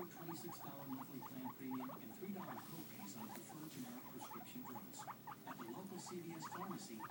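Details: Pair of pet guinea pigs, one white and black and one white and brown, chattering steadily with quick clusters of short squeaky notes above a soft, continuous low grumbling purr.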